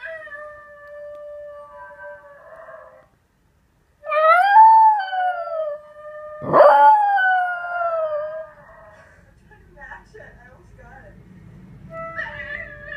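A Miniature Pinscher mix gives sustained howls in drawn-out tones that bend up and down. It is answering the yodel of another dog, and a loud swell midway breaks off into quieter trailing notes.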